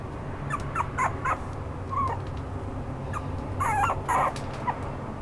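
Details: Red Toy Poodle giving a few short, high whimpering whines with brief pauses between them, two louder squeaky yelps near the end, over a steady low background hum.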